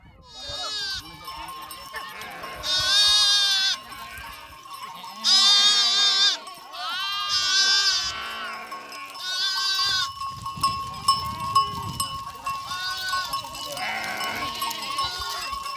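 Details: Village livestock at Bhadaro, near Mithi in Tharparkar, during drought emergency relief work. Several loud, quavering, nasal bleats come every couple of seconds over a steady high tone, with people talking.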